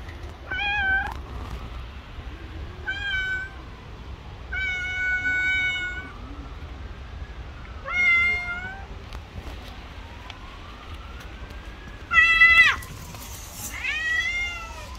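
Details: Stray pregnant cat on the street attacking another cat, giving a series of loud, tonal meows and wails, some long and level, some rising then falling, about six calls in fifteen seconds, over faint background hum.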